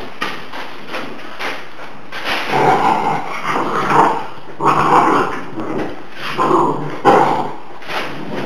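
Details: Šarplaninac puppies, 49 days old, from a 2009 litter, giving rough, harsh growly bursts that come about once a second and swell louder in the middle, with several pups heard together.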